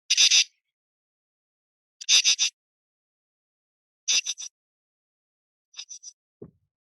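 A katydid sings harsh, raspy bursts of two or three quick pulses, repeated about every two seconds.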